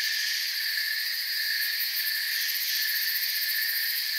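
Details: A continuous wall of cricket chirping from a forest: high, even, ringing trills in stacked layers, with quick ticking pulses faintly audible in the uppermost pitch.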